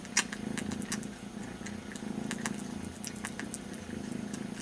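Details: Very young kitten grooming its brother's ear, missing its mother; even low purring rumble underneath frequent sharp licking clicks, one louder tap near the start.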